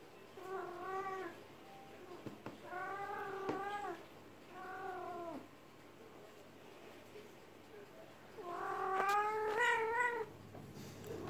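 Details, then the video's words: Domestic cat in heat while being massaged, giving drawn-out harmonic yowls: four wailing calls, each about a second long, the last louder and rising, separated by short pauses, with a faint low hum behind. "KIZGINLIĞI GELEN KEDİ YE MASAJ YAPMAK"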